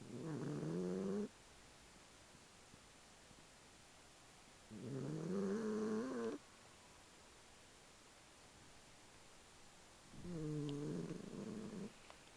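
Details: A pet cat snoring: three long, droning, low rasping breaths, each lasting over a second with a slightly wavering pitch, separated by about four seconds of near silence in a quiet indoor setting.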